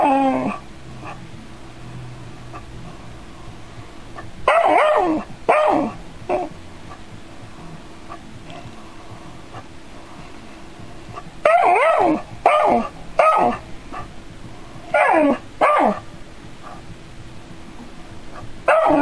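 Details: Dog facing a robot cat android, curious yet scared, giving short bursts of sharp barks in clusters of two to four, separated by quiet gaps of several seconds, with low steady room hum underneath.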